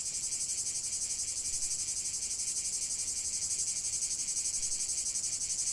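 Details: Cicadas singing together in an unbroken, loud, sizzling high drone. It has a steady rhythmic pulse of roughly four beats a second throughout, with nothing else audible.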